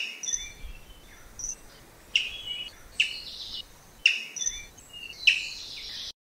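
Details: A Samango monkey in southern Africa gives sharp, high chirps in short bursts, about one every second or so, each with a bright clipped onset over a faint background hiss.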